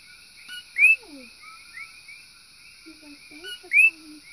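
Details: Invasive coqui frogs on a back porch in Puna, Big Island, Hawaii, late at night: one gives its loud, sharply rising chirp twice over a steady background of other night callers.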